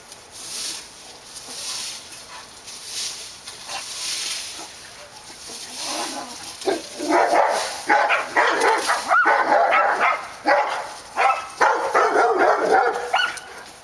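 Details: Barking dogs at Park Drive: several seconds of steady background noise, then a fast run of yappy, overlapping barks, roughly two each second, lasting to the end.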